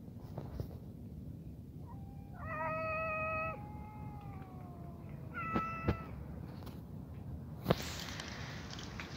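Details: Stray cats outdoors: a harmonic, wailing meow lasting about a second, followed by a softer falling cry, then a few sharp clicks and knocks against steady low background rumble.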